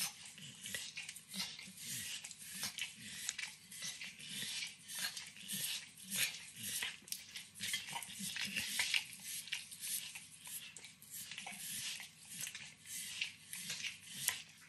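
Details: Close, quiet-room recording of Max, a nine-year-old Pit Bull, licking and chewing overcooked bacon: dense, irregular wet smacks and crackly nibbles, roughly two every second, with no voices.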